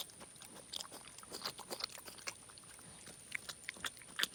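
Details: A boar of roughly five months, taken in from a roadside, licks and chews chocolate donut glaze indoors: scattered sharp wet smacks and crunchy clicks, separated by brief pauses, over a faint constant high-pitched tone.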